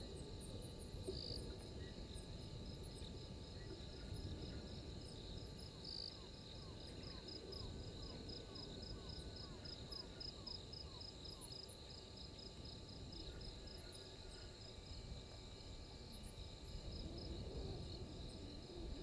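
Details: Insects at Gowrie dam waterhole, Djuma Game Reserve, Sabi Sand Wildtuin, South Africa: a steady high pulsed trill with brief higher chirps, a run of repeated descending notes near the middle, and a constant low rumbling background.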